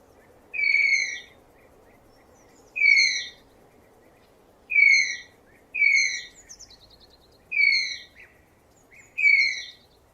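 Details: Tapir voicing sharp, reedy whistled squeals that dip a little in pitch, seven in ten seconds at uneven gaps, one followed by faint stuttering chirps, against a low, even noise floor.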